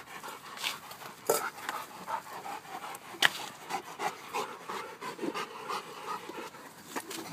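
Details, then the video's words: Dog playing tug of war with another dog while a third dog watches, indoors; quick rhythmic breathy panting bursts continue throughout, with a few sharper clicks and scuffles. "Major watching Elly and Bandit play tug of war"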